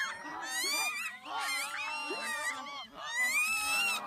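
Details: Geladas at Chenec campsite in the Simien Mountains give a steady run of overlapping, harmonic, wavering calls with rising and falling tones.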